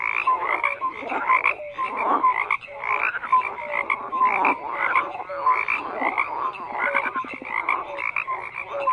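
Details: Chorus of croaking frogs: rhythmic bursts of raspy croaks about every half second, mixed with brief clear tonal notes, many callers overlapping in a continuous wall of sound.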